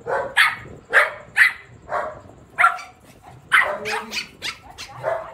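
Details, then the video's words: Shih Tzu named Mimi barking during a mock attack, a run of sharp, bright barks spaced irregularly, then a quicker cluster of yaps near the end. "Shih-tzu का हमला"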